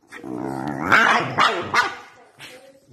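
A Boston Terrier gives rough, throaty growls and short barks while play fighting.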